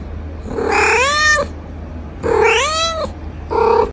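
A kitten gives three clear, high meows, each rising then falling, with short pauses between.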